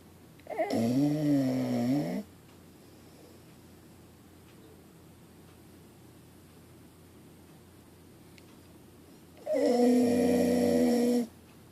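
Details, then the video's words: Pit Bull snoring in its sleep: two loud, rasping droned snores, each roughly a second and a half long and about eight seconds apart, separated by quiet breathing pauses in a small room. "Snoring Dog - Pitbull Pit Bull"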